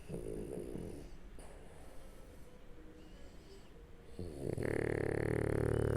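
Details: French Bulldog Shturm sleeping on its back: low rattling snore at first, a quiet pause, then a sudden loud, broad, sustained blowing noise that lasts to the end.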